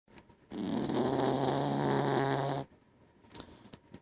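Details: Domestic dog, female, snoring very loudly while asleep lying up under a person in the morning; one long rasping, buzzy snore of about two seconds with steady low harmonic bands, then quiet breathing and faint rustling.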